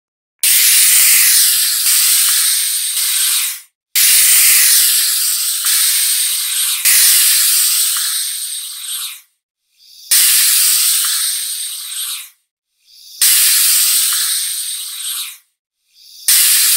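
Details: Python hissing: loud, airy broadband hisses, each lasting about two to three seconds, separated by short silences and repeated roughly every three seconds, with no other sounds.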